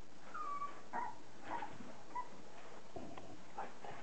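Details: Border Collie puppies, 30 days old, giving faint, short whimpering squeaks that rise and fall, scattered irregularly across a few seconds over a steady background hiss.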